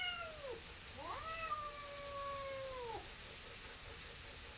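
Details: Neighborhood cat, possibly a tabby, in a standoff with another cat before a fight: a falling wail, then a rising yowl held level for two seconds before dropping away, over a faint steady hum.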